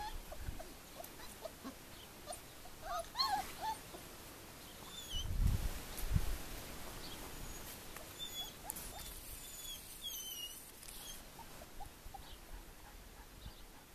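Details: 4-week-old puppies give faint, high squeaky whimpers over low rumbling handling noise.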